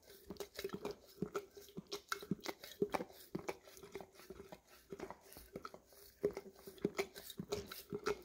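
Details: English cream Golden Retriever licking peanut butter out of an almost empty jar in a small room, Samsung Galaxy S10e recording; busy wet smacking and crunchy tongue clicks, dense and irregular, some sharper taps against the jar.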